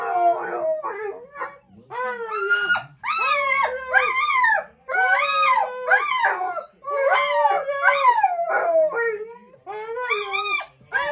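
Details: A Golden Retriever gives a series of wavering, rising-and-falling howl-moans, saying "I love you" back after its owner says it to him.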